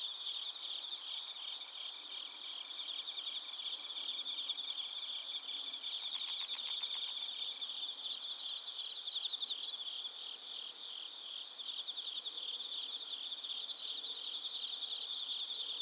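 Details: Chorus of bell crickets and crickets in Narita, Chiba, Japan, captured on a TASCAM Portacapture X8; overlapping high trills run throughout, with a brief burst of fast pulsing near the middle and rhythmic chirps drifting in and out.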